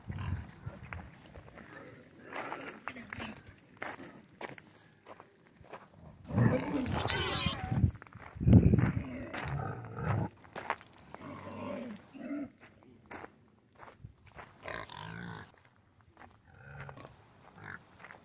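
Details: Domestic pigs on a farm give deep, rough grunts and a loud harsh burst, with people talking nearby.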